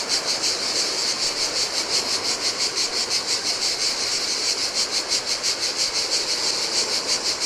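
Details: Cicadas singing in hot weather on an empty Greek island shore of the Adriatic Sea: a high buzzing drone beating about three times a second, slightly uneven, over the low murmur of surf.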